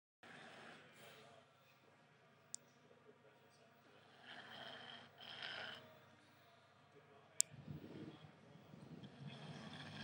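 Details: Sleeping five-month-old English Staffordshire Bull Terrier puppy snoring indoors: soft, hissing breaths with a louder breathy snore around the middle and a rougher, lower rasp near the end, plus a faint steady hum and a couple of sharp clicks.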